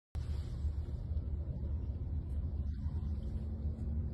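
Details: A steady, deep, low rumble like an engine or machinery runs throughout, with no animal calls.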